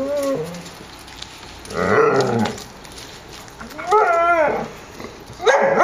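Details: Young puppies playing outdoors in the yard of the Zwinger vom Elbsandstein kennel on a mild 14 °C day, 30 January 2013; short whining yelps and squeals come in three separate bursts over faint background noise.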